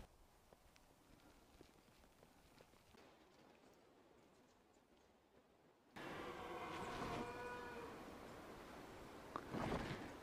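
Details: A red deer stag roars from standing timber near a hilltop skyline at midday, giving a deep, drawn-out bellowing roar after a few quiet seconds.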